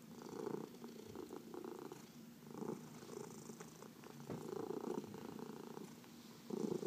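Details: Cat purring while being massaged, one of four pets including two senior rescue cats; continuous rumbling purr rising and falling with breathing, with a few light clicks and rustles from handling.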